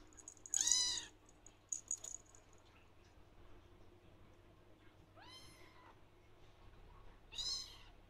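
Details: Blue lynx Ragdoll kitten, male, meowing for attention; three high, arched, harmonic-rich meows spaced a few seconds apart, with a faint steady hum in the room.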